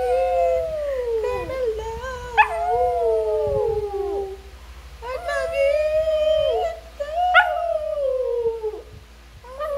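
A Shih Tzu howls in long, wavering tones that slide downward, pausing between bouts.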